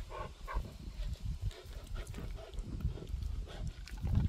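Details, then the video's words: Close-up deep grunting from the pet dog Gorlock The Destroyer while eating and playing: steady low rumbles and snorts, a few short nasal tones near the start, ending in a louder growly grunt. "Dog ASMR | Grunting, Panting, Eating, Playing"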